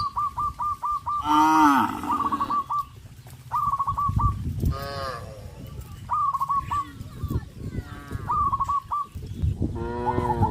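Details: Village cattle making their morning way to green pasture: several deep moos, some rising then falling, interrupted throughout by rapid, repeated chirping bird phrases.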